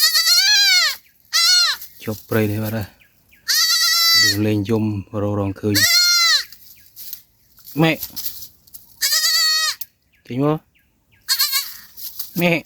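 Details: Goat kid that has lost its mother, at night in a forest: loud, wavering, high bleats repeated in bursts about every two seconds, with a person shouting and calling nearby and brief laughter.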